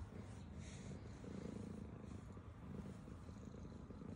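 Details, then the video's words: Black female domestic cat eating and purring, a low throbbing purr rising and falling in swells roughly once a second, with faint soft eating noises. "black cat while she purrs and eats food"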